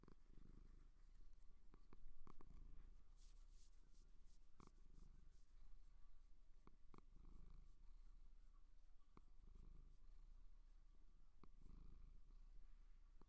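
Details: Seal purring: soft, low, rumbling bursts, each lasting about a second, repeated every two seconds or so, with scattered sharp clicks and taps in a quiet room.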